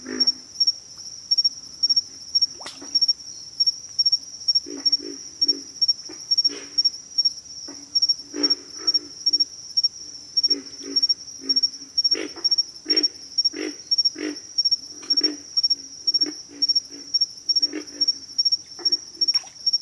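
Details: A long stretch of pig frogs calling: deep, gruff grunts repeated in ragged series, some louder and sharper, others soft, over an unbroken high-pitched insect drone.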